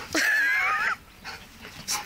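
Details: Lucky, a two-year-old German and Belgian Shepherd mix going wild, lets out a drawn-out high yelping whine lasting almost a second, followed by quiet scuffling and a brief sharp sound.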